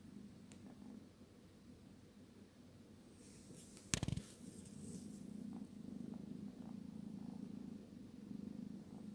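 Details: Low, even snoring rumble from a sleeping 12-week-old kitten, continuous throughout, interrupted once near the middle by a brief sharp knock before the droning resumes slightly louder.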